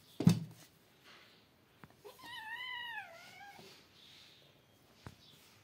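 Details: Cat meow while two outside kittens play in front of a cat and three kittens: one drawn-out, arching meow with a rising then falling pitch, lasting over a second, after a sharp thump, with quiet room sounds around it.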